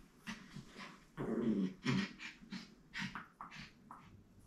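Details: Playful pet puppy Benji, born 22 June 2022, makes low growly grumbles while being played with indoors: a longer rough rumble near the start, then short huffing snorts and breathy bursts in uneven succession.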